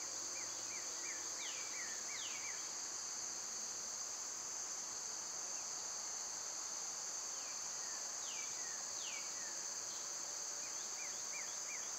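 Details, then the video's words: Loud summer cicadas hold a steady, piercing buzz throughout. Over it, birds give quick series of little falling chirps and several longer sliding whistles, mostly at the start and end. "Birds & Squirrels w/ Cicada sounds"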